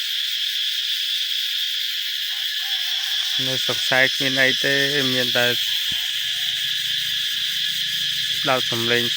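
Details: Cicadas in the cool early morning in rice-field countryside shortly before New Year, calling loudly from every tree: a steady, dense, high-pitched drone throughout, with a man talking over the second half.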